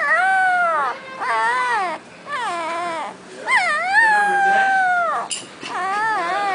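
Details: Boxer puppy howling in a continuous, wavering whine, the pitch bending up and down in warbling arcs with only brief breaks.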